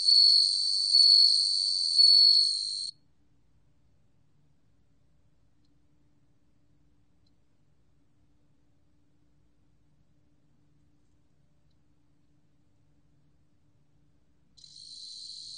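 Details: Bell cricket song from the National Institute of Biological Resources, 2020: a high, ringing continuous trill with three louder swells over about three seconds, then a long silence before the trill briefly resumes at the end.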